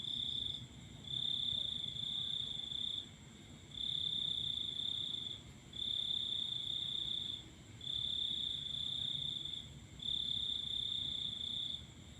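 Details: Cricket singing at night under a full moon: a steady high trill in long bursts of about two seconds separated by short pauses, repeating through the clip over a low rumbling background.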